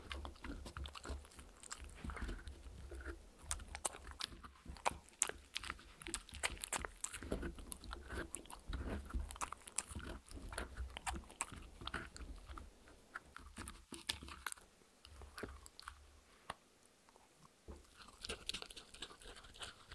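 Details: A dog bites and crunches through a dog-safe mini muffin cupcake treat indoors. A dense, steady stream of crisp crunches and wet chews continues, easing slightly toward the end, with no voices.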